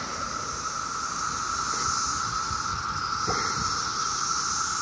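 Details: 17-year cicadas in mass numbers calling on a summer day in Maryland: a steady, droning buzz with a higher hissing shimmer above it, plus low rumbling traffic.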